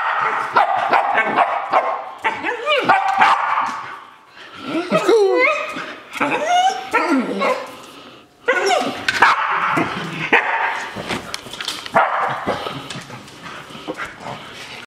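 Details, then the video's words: Shetland Sheepdog dancing with excitement to go outside, giving a fast uneven stream of yips, whines and barks, with wavering rising whimpers in the middle and short pauses between bursts. "sheltie Bella dancing to go outside"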